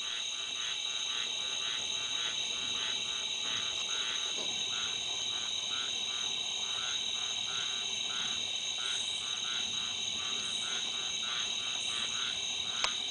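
A squirrel treefrog gives short, raspy, duck-like notes in a rapid steady series over a droning insect chorus.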